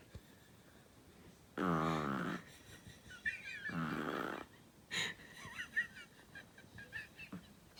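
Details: Chihuahua named Flexi snoring indoors: two long, rasping, buzzy snore bursts about a second apart, each near a second long, with quieter shuffling and faint squeaky sounds between and after.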